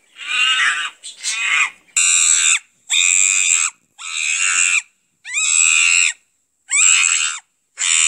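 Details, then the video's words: Shrill monkey cries in long harsh bursts, each about half a second, separated by brief silences, with some calls bending upward at the start. "Maymun Sesi"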